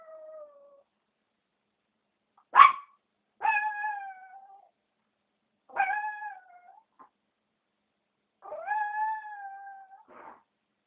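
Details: Female Chihuahua howling in a series of short, level, slightly falling tonal cries, roughly every two to three seconds, mixed with brief sharp yips.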